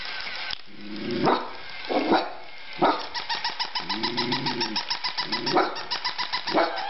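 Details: Jakes, a dog barking at a stuffed toy dog: several sharp single barks at irregular intervals, a drawn-out whining moan in the middle, and a rapid pulsing chatter running underneath the later barks.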